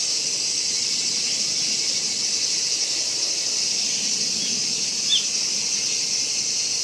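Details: Kaempfer cicada singing at Gongenyama Bird Sanctuary, Japan, 11 August 2017, with a horsefly present. There is a sustained shrill buzzing drone at a constant level. A brief faint chirp cuts in near the end.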